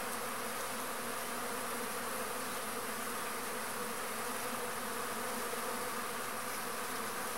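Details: Arapuá stingless bee (Trigona spinipes) at a pumpkin flower, a native pollinator; a steady, unbroken low droning hum holds for the whole stretch against a dense, even background hiss.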